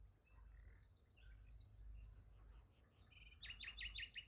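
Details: Crickets at night beside a sunflower field: a high, steady pulsed chirping in quick bursts, joined by bright, sharp bird chirps near the end over a low rumble.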